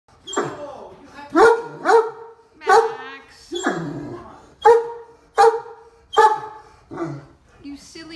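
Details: Deaf Great Dane stuck on a golf cart, complaining: a run of loud, wavering moaning yowls with strong harmonics, each rising then falling, about eight in eight seconds, with a woman talking between them.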